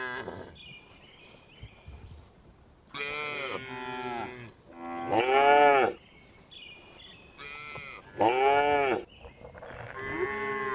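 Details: Tame cows herded on a farm in the afternoon, returning to the barn, mooing: several loud drawn-out harmonic moos around four, six and eight seconds, separated by quieter stretches with faint bird-like chirps in the background.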